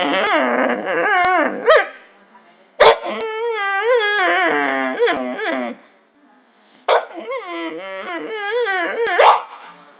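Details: Pet dog making weird noises: wavering, high-pitched whines and yelping cries in long, sliding, harmonic-rich bursts, rising and falling in pitch, in three bouts separated by short pauses.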